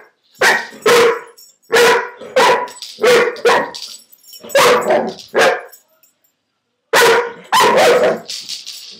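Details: Dobermann barking while playing, chasing the little marble inside a hula hoop; sharp barks in close pairs and short bursts with brief silent gaps between groups.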